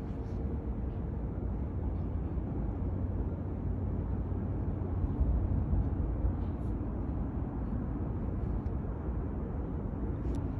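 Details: Continuous deep engine-like rumble, as of passing vehicles or an aircraft outdoors, with faint scattered clicks; no animal sound is heard.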